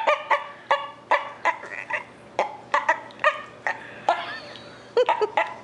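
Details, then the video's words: Dog makes odd, talk-like yelps to win attention and affection while its owner pets another dog. About fifteen short, nasal yelps come in an uneven run, some paired or doubled, over a quiet indoor background. "Talking dog yelps for attention"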